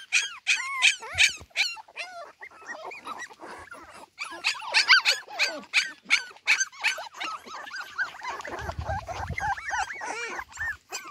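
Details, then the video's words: A litter of Cardigan Welsh Corgi puppies out in the garden without their mother, calling in a steady overlapping mix of shrill squeals and wavering whines, with a low rumble briefly underneath toward the end. "コーギー・カーディガン 仔犬達だけでお庭へ②"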